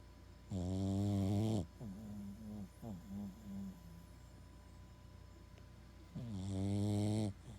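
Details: Massive snoring from a sleeping Boston Terrier: a long, loud, rattling snore, then several short wheezy snorts, then another long, buzzing inhaled snore about five seconds later.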